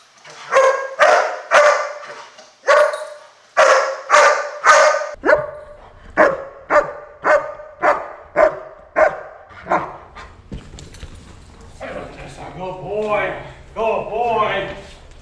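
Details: German Shepherd named Sasko, a personal protection dog, barking during a building search: a run of loud, sharp barks roughly twice a second, then quieter mixed barks and yips with a man's voice praising him near the end.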